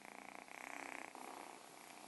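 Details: A young grey kitten with white paws, just rescued from a sewer overnight, purrs steadily in a soft continuous rumble with rapid even pulses, while household dogs that can hear him bark.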